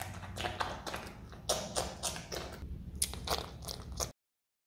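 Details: Pet Himalayan marmot named Dumpling, kept indoors in its own room, eating pineapple: irregular wet crunching and biting bursts, several per second, ending abruptly in silence.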